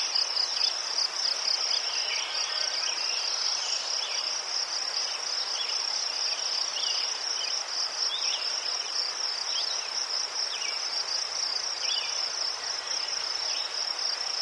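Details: Crickets in Ukraine among chrysanthemums, a steady high pulsing chirp trilling continuously, with faint softer chirps from other insects lower down and a light background hiss.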